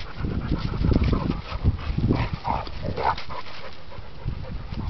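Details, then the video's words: Fighting dogs, an English Pointer versus a German Shorthaired Pointer, giving loud, gruff, low growls in quick irregular bursts, with brief higher yelp-like notes near the middle. "Dog fight"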